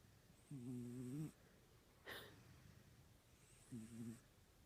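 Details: Kitten asleep and snoring: two low, rough, buzzing snores about three seconds apart, each under a second long, with a brief sharp noise between them.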